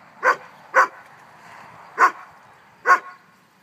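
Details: Barbet dogs, a father and his son, enjoying a pool together on a hot summer day; four sharp barks spaced unevenly, half a second to a second apart, against a quiet background.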